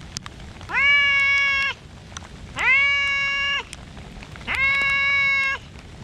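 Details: Community cats in a rainy park, Komugi appealing from a bench: three loud, evenly spaced meows, each about a second long, flat and rich in harmonics, repeated every two seconds amid falling rain.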